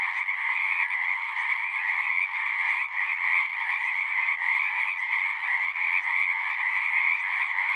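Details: Many frogs singing together in a dense, unbroken chorus of overlapping trills and croaks, a steady shimmering wall of sound with two strong bands, one mid-pitched and one higher, and no other sounds standing out.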